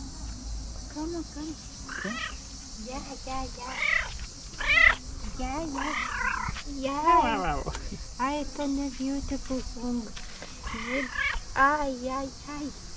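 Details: Cat by a tree giving a long chattering sequence of meows and rolling trills, as though wanting to tell something; calls come in rapid bursts, some rising and warbling, with quiet Dutch voices behind.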